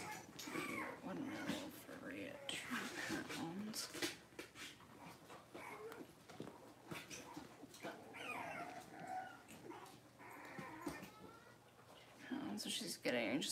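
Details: Six-week-old Cavalier King Charles Spaniel puppies in an indoor puppy pen, whining and whimpering in overlapping, wavering high cries while being dewormed and having their toenails trimmed, with people talking throughout.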